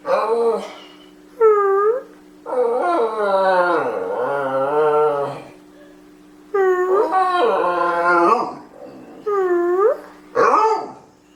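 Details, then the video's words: House dog singing when told: short curved yips alternating with sustained wavering howls, several bursts separated by brief silences, a steady hum in the background. "singing dog"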